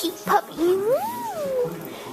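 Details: One-year-old German Shepherd mix puppy gives a single drawn-out whine that rises smoothly, arcs over and falls away over about a second, preceded by a short yip; faint room noise around it.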